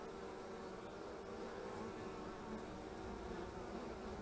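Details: At a beekeeper's hives in March 2015, honey bees fill the air with an unbroken, even, low-pitched hum of many wings.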